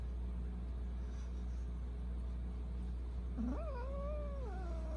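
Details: A Persian cat, one of two brothers at night, gives a single drawn-out meow that rises, holds level and then bends down, late in the clip, over a constant low hum.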